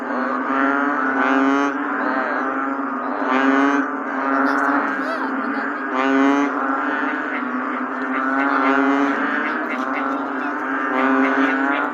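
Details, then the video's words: Bullfrogs during rain, a thick overlapping chorus of low, resonant, groaning calls forming a continuous hum, rising in loudness at intervals of two to three seconds, with occasional sharper noises on top. "The Bullfrog 🐸during rainy days.🌧️"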